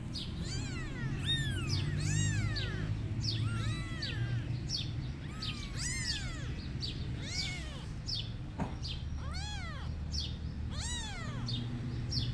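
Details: Several kittens meowing and crying to call their mother cat as she runs away: high arched mews rising and falling, overlapping in quick succession throughout, over a steady low rumble of background noise.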